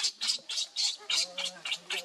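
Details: Baby monkey named Leo, hungry and begging its mother for milk, crying in a string of sharp, high squeals. There are about eight bursts in two seconds, evenly spaced with short gaps between them.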